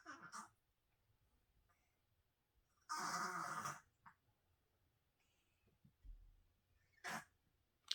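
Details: Senior feral cat Crumbs, who has cancer, breathes with effort: a brief rasp, then a long raspy snort of almost a second, and a later sharp gasp, separated by quiet pauses.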